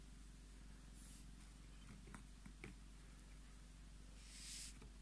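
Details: Scottish Fold cat named Tommy purring indoors while demanding his cuddles; a steady low rumbling purr with a fine pulsing texture runs throughout, broken by a few soft rustling and stroking sounds.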